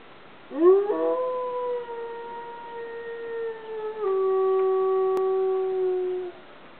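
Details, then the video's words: Dog howling at midday, set off by sirens and a passing train; one long mournful howl that swoops up sharply, holds steady, then steps down to a lower held pitch before fading out after about six seconds. "Midday Howl"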